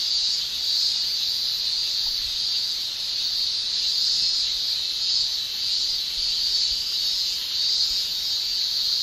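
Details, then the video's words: Continuous shrilling of male cicadas in summer in Japan, a bright, even, buzzing drone held at one high pitch with slight waves in volume throughout. "Japan Summer Cicada Shrilling Relaxing Sound"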